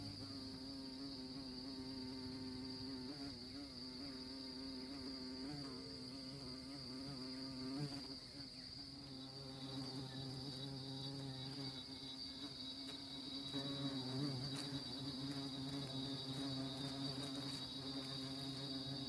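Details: Honey bees visiting orchid flowers; a continuous low buzz wavers in pitch and loudness as the insect moves about, swelling again near the end.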